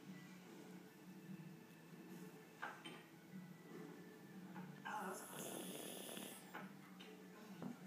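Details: Yorkshire Terrier in deep sleep indoors, snoring in soft low rasping breaths that rise and fall irregularly, with a television or voices murmuring in the background and a brief hiss of noise midway.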